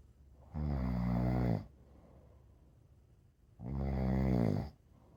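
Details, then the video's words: Two deep, buzzy snores about three seconds apart from a sleeping rescue dog, a pit bull mix, each rumble lasting about a second, with soft breathing in a small quiet room. "The dog sleeps like a baby and snores."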